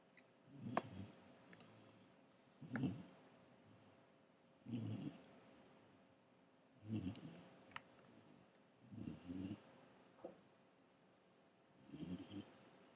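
A Great Dane puppy snores steadily, each breath a low, gravelly rattle repeating about every two seconds. A few faint clicks sound between the snores.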